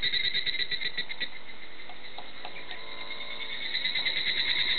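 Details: Higurashi cicadas singing in Hakone forest: a clear-toned, rapidly pulsed trill around a steady high pitch, beats repeating about three times a second, swelling at the start and end with a softer stretch between, several insects overlapping.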